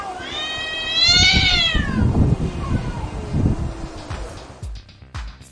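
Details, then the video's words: Male domestic cat caterwauling in the first stage of mating, a loud, intense cry; one long drawn wail climbing then sliding downward over about two seconds, followed by lower rough grumbling sounds, with background music throughout. "but male cats go a step further in the first stage of mating by making a much louder and more intense mating sound than females do"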